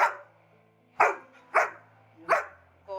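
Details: Pet Labrador Retriever, excited while waiting for her dad to come home, gives four sharp, loud barks spaced about half a second to a second apart, with quiet household background in between.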